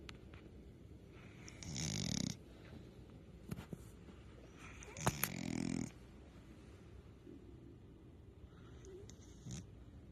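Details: Otis the dog asleep and snoring: two drawn-out rasping snores near two and five seconds, low and throaty with breathy hiss above, then softer breathing and small clicks in a quiet room.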